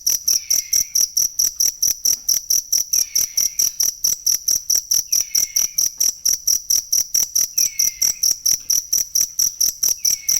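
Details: Cricket sound meant for tutoring songbirds, steady rapid high chirps pulsing a little over twice per second throughout, accompanied by a faint lower descending whistle recurring every two to three seconds.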